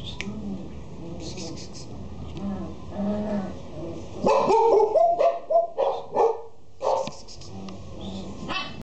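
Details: Female Boxer barking, with a run of short, loud barks in its second half, preceded by softer background sound and faint voices.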